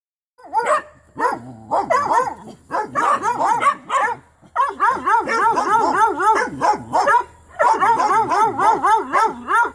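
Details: Original Mountain Cur pups in training, barking at a young raccoon held in a trap; several pups yelp and bark together in overlapping, wavering, high-pitched bursts with brief pauses between volleys.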